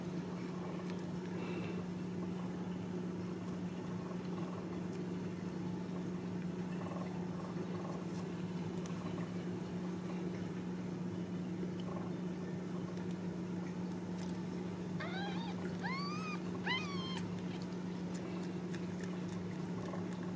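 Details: Ragdoll kittens raised in a home cattery in central Kansas without cages give three short, rising, high mews close together near the end, over a steady low electrical hum.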